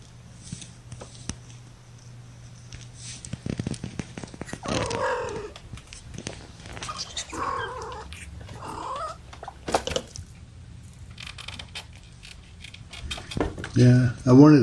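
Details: Indoor kittens, one of a litter of five born April 14 to mother cat Gamora, about three and a half weeks old, held in a lap; short arching mews come in scattered bursts, louder toward the end, with handling noise and a human voice.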